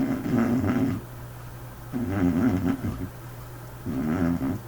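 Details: Sleeping white dog snoring indoors with a peculiar snore: low rattling, growl-like snores in three bursts, each about a second long and separated by quieter breathing pauses.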